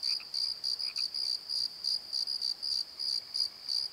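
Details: Night-time cricket chorus in a valley bottom: clear high pulsed chirps, roughly three per second, slightly uneven in spacing, with brief lower chirps from another caller early on.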